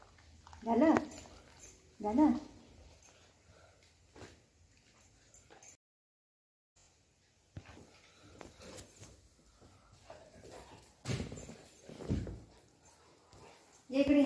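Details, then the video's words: Golden Retriever named Buzo greeting its owner on her return home; a few short, high, harmonic whines rise out of the recording, mixed with a woman talking to the dog in Marathi, a brief silent gap, and handling noises. "Buzo welcoming mummy home"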